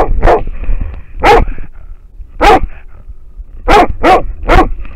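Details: Trail-camera recording of an American Foxhound barking at a wild boar; six loud, separate barks spaced irregularly, about one every second, with a gap after the third and a quick pair near the end.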